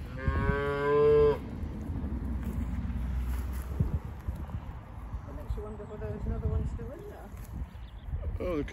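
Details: English Longhorn cow at Loseley Park during calving, a single loud harmonic moo lasting about a second at the start, followed by low rumbling and handling noise, with faint short vocal sounds later and people talking encouragingly nearby.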